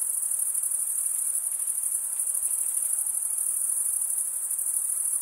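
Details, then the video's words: Summer forest at night, filled with a chorus of chirping crickets. Their unbroken, shrill high buzz stays even from start to finish, with faint flickering pulses within the drone and nothing else audible. "Pure cricket music for 20 min"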